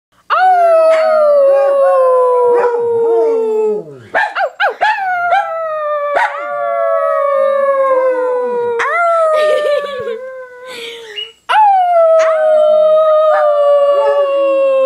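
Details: A little black Yorkie-poodle and a Basset hound howl together in long, wavering, slowly falling notes with brief breaks between them.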